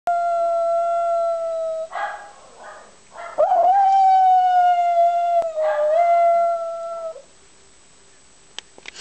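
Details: Jack Russell Terrier making a half-hearted attempt at howling: a long, steady, held tone that is broken by rougher, noisy bursts, then resumes as a sustained note before fading into quiet with a few faint clicks.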